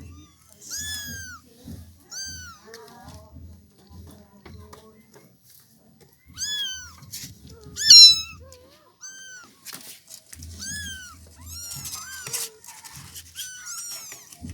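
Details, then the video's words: Village kittens mewing: a steady series of high, bent mews every second or so, some rising then falling, with a soft low rhythmic thudding beneath and brief human speech. "funny cats and kittens meowing sound effects || suara anak kucing kampung bikin gemes"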